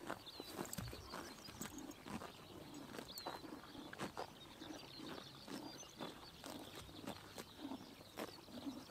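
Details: Horses tear at grass in the morning sun, summer in Mongolia; quick dry snapping bites repeat irregularly, with thin twittering birds audible in the background.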